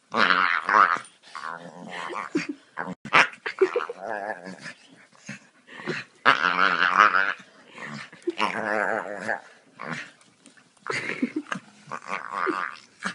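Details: A Staffordshire Bull Terrier gives wavering, whiny growls and grumbles in bursts a second or two long, with short pauses and a few soft yips, while playing and having its belly rubbed.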